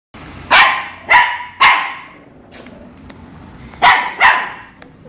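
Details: Pet Shih Tzu puppies barking in fright at toilet paper: five sharp, broad barks, three in quick succession and two more after a pause, over low room hum.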